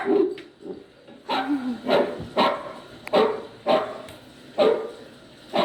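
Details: Poodle puppy crying as a poodle listens: repeated short whining yelps, some with a wavering low whine between them, spaced roughly every half second to second.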